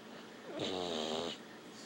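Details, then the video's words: Sleeping dog gives a single rough, vibrating snore lasting under a second, low and rattly with breathy hiss layered above, then quiet again. "snoring dog"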